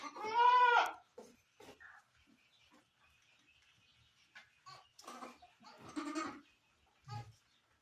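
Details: Barbari goat giving birth on a farm in Sultanpur; one loud, strongly harmonic, wavering bleat opens the recording, followed by softer grunts, clicks and short bleats.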